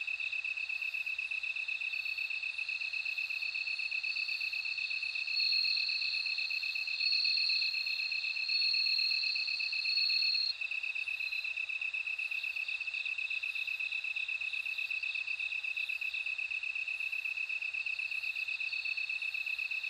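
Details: Bell cricket song: a high, clear ringing tone that swells and fades in short bursts over a steady pulsing trill from other insects, with no other sounds.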